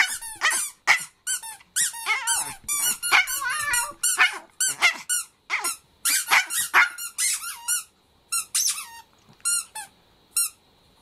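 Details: Pet Chihuahua Kohaku breaks into sudden song inside a small room: a fast string of shrill, arching squeals and whimpers, irregularly spaced, tapering into sparser notes near the end.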